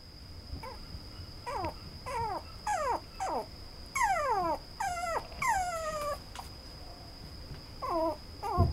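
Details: Brown male Toy Poodle giving a series of short, high whimpering whines, each sliding downward in pitch, in separate bursts about half a second apart with pauses between, over a steady faint high-pitched tone in the background.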